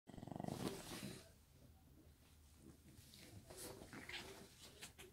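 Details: A pet Shih Tzu named 로또 (Lotto) gives a short rough, pulsing growl in the first second, then quieter snuffling and soft rustles indoors in a small room.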